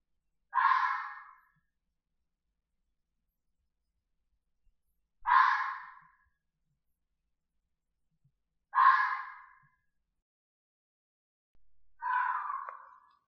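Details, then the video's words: Red fox screaming: four harsh, hoarse bursts, each about a second long and fading at the end, spaced roughly four seconds apart in otherwise silent surroundings. "Real Sounds of Foxes Screaming, Barking and Laughing"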